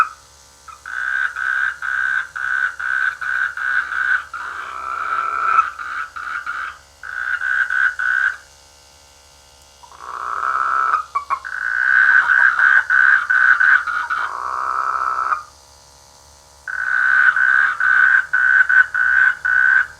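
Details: Frogs croaking in rice fields during the rainy season near a village: bursts of rapid, rattling croaks centered mid-pitch, several seconds long, separated by brief quiet gaps, with a faint low hum underneath.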